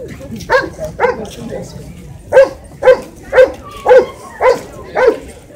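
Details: Small Shih Tzu dog barking: a few quick yips, a short pause, then six clear, evenly spaced sharp barks about half a second apart.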